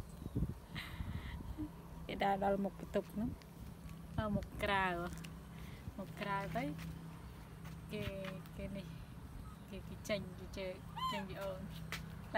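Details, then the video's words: Loud cries from baby monkey Bella, left uncared for by her mother: repeated trembling, high wailing squeals with wobbling pitch, about half a dozen across the stretch, interleaved with people chatting nearby. "Baby Bella Cry So Loudly When Mom Not Take Care Her"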